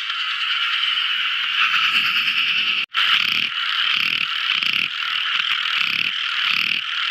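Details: Night-time song of tiny frogs, a thick buzzy chorus with rhythmic pulses roughly every half second, broken by one brief silent gap.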